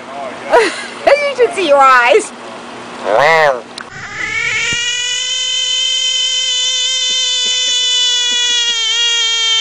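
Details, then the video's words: Frog letting out one long, flat, even scream with many harmonics, held for about six seconds. Human talking comes first. "Screaming Frogs"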